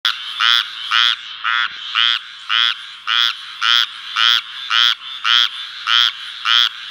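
A frog gives a steady series of raspy, nasal croaks, nearly two each second.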